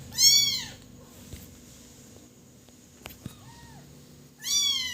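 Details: Kitten crying: a loud, high, arched meow at the start, a fainter shorter mew midway, and another loud arched cry at the end, separated by quiet with a few soft clicks.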